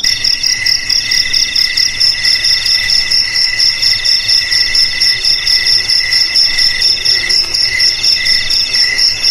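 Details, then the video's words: Crickets chirping in a dense chorus, with bright, rapidly pulsed trills in two high pitch layers. The pulses come in bursts about twice a second over a steady background hum, and no other sounds are clear. "Suara JANGKRIK"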